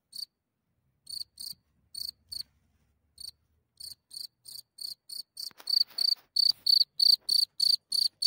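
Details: At night, a cricket leaving its hole and heard from a few centimeters away gives shrill, high chirps, sparse and softer at first, then louder and rapid, evenly spaced in a continuous run.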